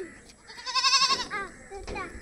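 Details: A goat out grazing gives a wavering, quavering bleat lasting about half a second, its trembling tone rising in loudness mid-clip, while children and adults talk nearby before and after.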